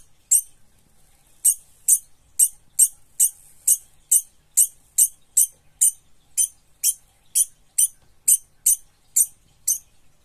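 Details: Frightened degu scolding, with young degus named alongside: sharp, very high squeaky chirps repeated rapidly, about two per second, in a long steady series with near silence between.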